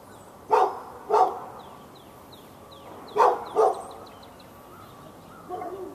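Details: Continuous barking from a dog aimed at the dog next door, Raleigh, North Carolina, February 15, 2012, morning to afternoon; barks come in pairs about two seconds apart, over soft twittering birds.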